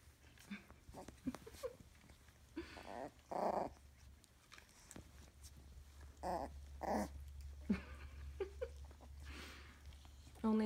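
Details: Scottish Terrier puppies at three weeks old in a small room: a string of brief whimpers and squeaky yelps, with small growly grumbles mixed in, scattered irregularly through the recording over a low steady hum.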